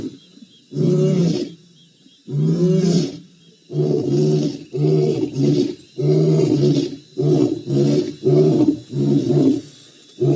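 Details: Roaring lions in the Maasai Mara on 7 November 2017: two long, swelling moans open the sequence, then a quickening string of shorter, deep, grunting pulses, about nine in all, powerful and low.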